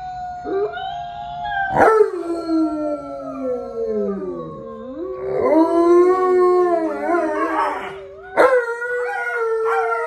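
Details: Male Alaskan Malamute, a pet dog, howling while 'talking' to an Alexa device and showing how a wolf howls: overlapping sliding tones that rise and fall, with sharp onsets near two and eight seconds, possibly a second voice or background music.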